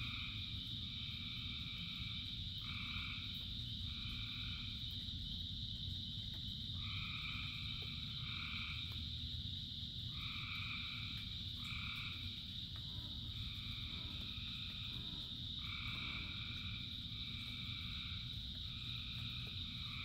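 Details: Thousands of frogs calling in rain: repeated nasal trilled notes in blocks of about half a second to a second, several callers overlapping, over a steady high hiss and a low continuous rumble of rainfall.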